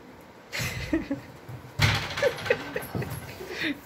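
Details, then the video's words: Siberian Husky puppy and adult Siberian Husky play fighting indoors in India; short bursts of whiny, growly vocal noise come in two rough bouts with brief tonal yelps, among panting, scuffling and soft human voices. "Play Fight Between Siberian Husky Puppy And Siberian Husky"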